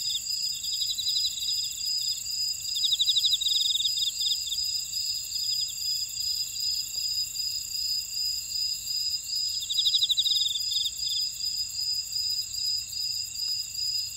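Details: Insects in a Jeju buckwheat field at Ora-dong, South Korea, sing in an unbroken high ringing chorus with a pulsing rhythm; loud rattling trills burst out twice, about seven seconds apart, above quieter trilling.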